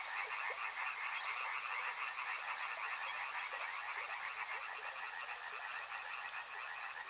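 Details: Many frogs croaking together beside a river, a thick pulsing chorus with short quick notes layered densely, plus a steady hiss from the surroundings.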